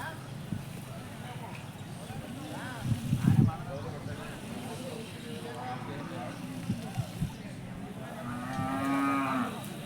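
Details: Hallikar cattle at the Jodugatte cattle market, lowing in short, deep, harmonic moos, one near the middle and a longer one near the end, over steady market murmur and people talking.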